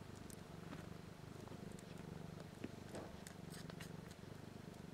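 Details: Four healthy week-old kittens suckling from queen BlueBelle, still blind and deaf, beginning to purr; a continuous low throbbing hum pulses about four times a second, broken by faint clicks and a single sharp tap.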